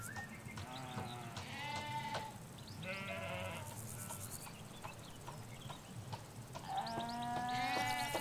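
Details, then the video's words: Sheep, ewes with their lambs, grazing a Hampshire field, recorded from a hedge: short quavering bleats in loose bursts, a long higher bleat near the end, and a background of bird chirps. "4K Sheep Field - One Hour Sound and Video"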